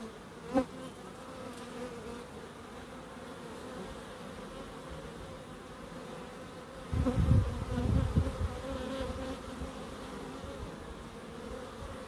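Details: Bees humming in a small wildlife garden in Crookes: a soft, steady buzz, a sharp click early on, and a louder low rumble rising for about a second and a half before the hum settles again.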